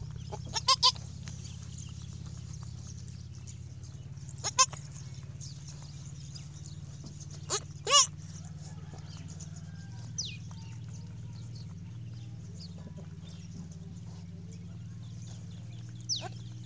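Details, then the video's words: First-day newborn goat kid letting out a few brief, thin bleats scattered across the stretch, two close together near the middle, with a constant low hum and faint high chirps. "the baby goat first day baby noise"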